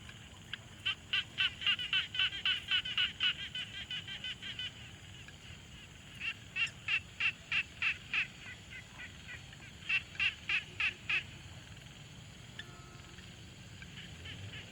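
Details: Quiet pond ambience with frogs, recorded on a Tascam Portacapture X6: bursts of rapid, rhythmic raspy notes at about three or four per second, separated by short pauses, with callers overlapping and fading.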